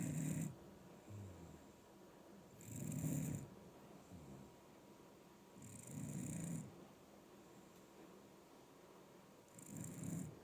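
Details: Older, stocky Shiba Inu asleep and snoring, the snoring said to increase as it ages; deep rasping inhalations roughly every three seconds, four snores with quiet breathing between.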